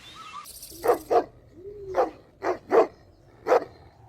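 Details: Puppies drinking milk on a lush green meadow give six short, sharp barks in uneven bursts, two close together, then a gap and several more spaced about half a second apart.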